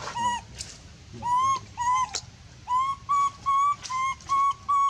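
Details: Monkey screaming loudly to call for help: clear whistled cries near one pitch with rich overtones, each about half a second, slightly rising then flat, about eight in quick irregular succession, with low rumbling background noise.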